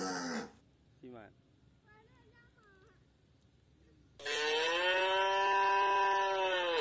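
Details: Tame white village cattle wandering loose in a garden: the tail of one moo, quiet faint chirps in between, then a long, full, drawn-out moo that holds steady to the end.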